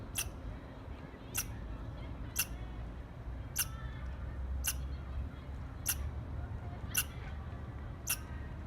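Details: Squirrel chirps: eight quick, sharp bursts spaced close to a second apart, set against a continuous low rumble.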